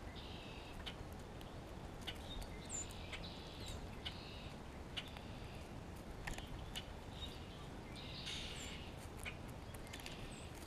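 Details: A grey squirrel in spring calls to another squirrel and responds to a hawk in the area. Repeated raspy, hissing bursts arrive in clusters, loudest near the end, with brief high bird whistles and clicks over a quiet rural background.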